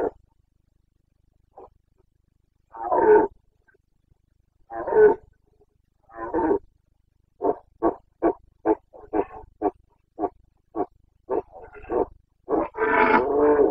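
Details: Boncănit of a Carpathian stag, Bucovina, Romania's Carpathian forests and clearings, rutting season 29.09.2022: three long drawn-out moaning roars, then a rapid chain of short barking grunts building into a final loud, rough roar.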